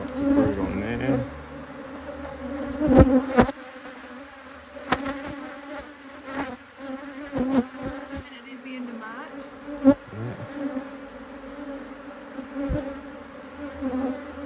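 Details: Busy honey bees at a Hive IQ beehive in Australia, autumn 2023, while another box of empty frames goes on; a low humming drone with passing bees bending in pitch, broken by loud clatters and taps of hive equipment.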